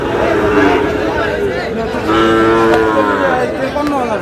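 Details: Sahiwal bull calves at a busy cattle market on 31 March, bought by a Comilla farmer and bound for Chandina; a drawn-out, harmonic moo rises midway through, half-masked by men talking and bargaining nearby.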